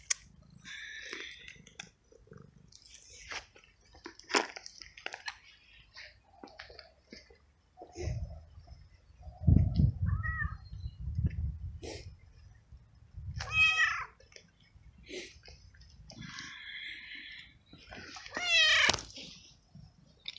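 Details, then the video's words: Abandoned little stray cat in a garden meows while eating its daily treats: several short, harmonic meows, some rising then falling, spaced a few seconds apart between loud crunching and chewing sounds. "Cute Moments With Meowing Cat"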